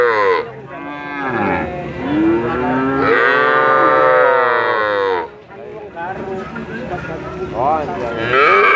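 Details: Cattle mooing at great length: loud arching moos rise then sag in pitch, followed by a quieter lull around five seconds before further layered lowing builds again toward the end.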